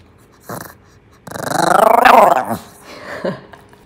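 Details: A Maltese dog vocalizing as if talking: a short whine, then a long trembling, wavering growl-like moan rising and falling over about a second, ending with a brief grunt.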